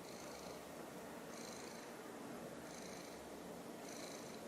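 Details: Indoor silver tabby cat gazing up at a confiscated toy she almost swallowed, purring; a continuous low rumble with four soft breathy swells at even intervals, no other clear sounds.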